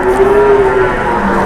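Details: A single cow at an Indonesian livestock market gives one sustained, even-pitched moo lasting nearly a second, then fades into the low hum of the crowded market.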